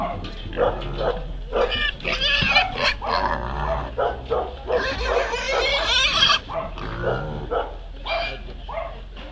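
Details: Weaned piglets handed out on a Friday at 7 a.m. in Szentes, Hungary, outside a feed shop on Szalai utca, where mayor Imre Szirbik gave one each to 25 people; shrill, broad squeals swell mid-clip over steady crowd chatter.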